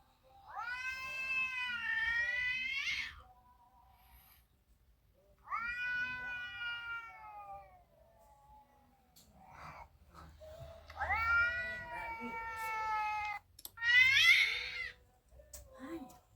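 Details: Recorded domestic cat meows played from a mobile phone indoors to a house cat, which at first grew agitated but is now used to them; four long, drawn-out harmonic meows, several sliding down at the end, with brief murmured speech.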